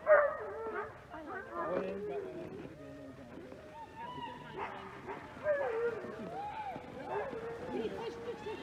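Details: Alaskan Malamute sled dogs in Larose Forest, Ontario, Canada, at -30 degrees C before a winter run: a chorus of overlapping whines, yips and wavering howls from several dogs, with a person's voice mixed in.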